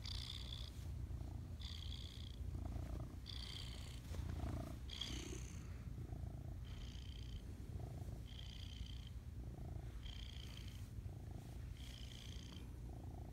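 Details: House cat making biscuits in the morning while purring and trilling: an unbroken low purr with about nine short, higher chirping notes repeating roughly every one and a half seconds.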